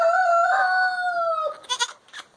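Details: Boer goat kid on a family farm, playing and walking about with others; a loud, sustained bleat of about one and a half seconds, gently sagging in pitch, then brief scuffling noises.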